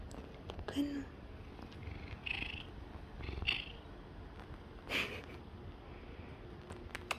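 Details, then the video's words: [1, 'likely', 'purr', 'Seal point Siamese cat purring while being petted, seeking attention and affection indoors; low rumbling purr swelling in breathy pulses roughly every second or so, with a few soft clicks and handling rustles.'] "Siamese cat purring and enjoying pets!"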